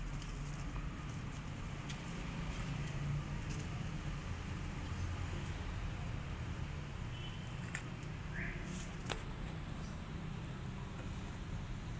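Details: Steady low rumble of traffic or engine noise with faint speech, brief clicks and taps, and no clear animal voice.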